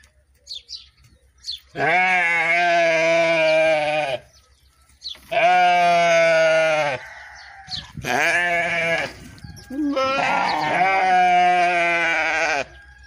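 A sheep bleats loudly several times, each call a long wavering baa.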